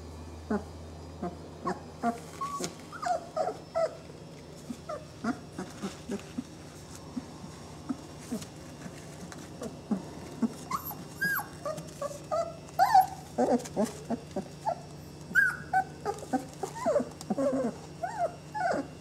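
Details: Saluki puppies of the 'M' litter, twenty days old, squeak and whimper in short scattered bursts, several small voices overlapping with quiet gaps and a low steady hum underneath.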